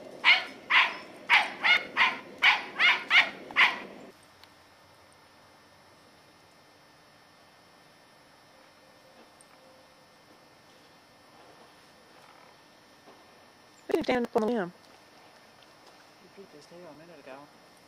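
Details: Katie, a 10-year-old female Scottish Terrier, on squirrel patrol in the yard in November 2008, chasing squirrels: a rapid run of eight sharp, loud barks in about four seconds, then quiet, with one short, higher, wavering burst near the end.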